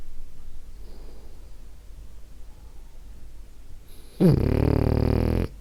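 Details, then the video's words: Sleeping female French Bulldog Ariva: quiet breathing for several seconds, then one loud, harsh, low snore lasting just over a second, in a small indoor room. "Cute Snoring French Bulldog"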